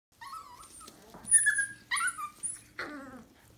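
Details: Dalmatian puppies whining: a series of high, wavering, tonal whimpers, some rising then falling, overlapping in quick succession, with a low steady hum underneath.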